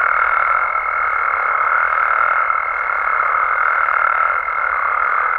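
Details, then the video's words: In Mexico after dark, frogs and toads fill the air with a dense, continuous croaking chorus, overlaid by a strong, unwavering high tone running through the whole stretch. "Mexican Frogs & Toads Sounds"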